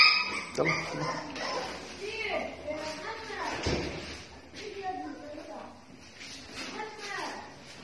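Pit bull puppies whimper and yelp in short, high, wavering cries, with a person talking nearby.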